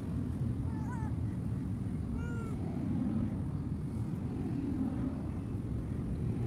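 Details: Abandoned cat left by the roadside where there is no source of food, giving a few short, high meows early on, the first two close together and another near the middle, over a steady low rumble of traffic.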